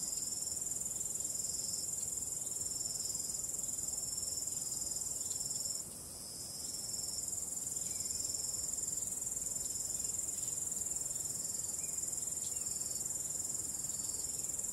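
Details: Crickets at night under the stars keep up a shrill, even high-pitched trill, briefly quieter around the middle, accompanied by a calm, low wind rustle.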